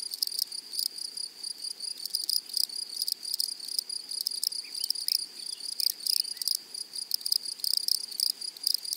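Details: Close, loud insect chorus in a flowery prairie meadow attributed to grasshoppers, with rasping buzzy bursts over a continuous high, rapid pulsing tone, repeating irregularly across the recording.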